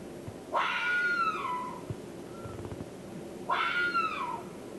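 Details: Fox in the forests of Northern California, from the Redwoods 2010 expedition recordings: two loud wavering screams about three seconds apart, each sliding up and then down with a short trill at the tail, over soft background hiss.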